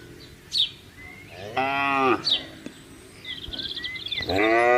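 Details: Herded cattle out in an open field: one rich, harmonic moo followed by the start of another, with thin bird chirps and whistles between them.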